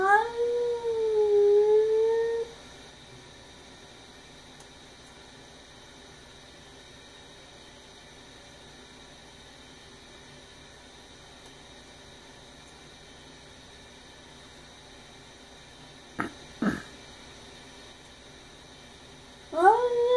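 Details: Sonja, a pet cat indoors, screaming at a neighborhood cat just outside the window: a long, wavering, harmonic-rich yowl lasting over two seconds, then quiet room hiss, a brief rasp, and a rising wail beginning at the end.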